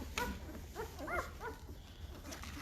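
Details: Newborn Great Bernese puppies at five days old, a Great Pyrenees and Bernese Mountain Dog cross, on a goat farm: a quick run of four or five thin, arching squeaks, softer at the end, with faint background clatter.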